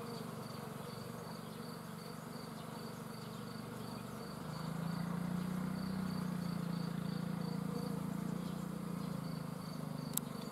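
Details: Bees swarming: a low, humming drone that swells noticeably louder and deeper about halfway through, while a soft, evenly spaced high chirping ticks on behind it.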